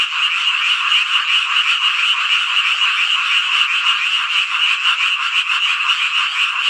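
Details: Midsummer night frog chorus in Hongcheon, Gangwon Province, South Korea: countless frogs calling at once, forming a continuous raspy, pulsing drone that never pauses.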